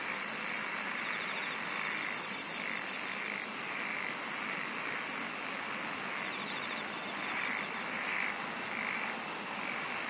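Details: A dense insect chorus hums and hisses without pause, with an early burst of high, rapid pulsing and two brief sharp clicks later over the steady mid-pitched throb.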